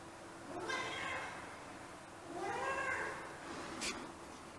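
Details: Siamese cats left home alone, howling as they miss their absent owner; two drawn-out, wavering cries with rich harmonics, the second rising then falling, over a quiet indoor background with a brief click near the end.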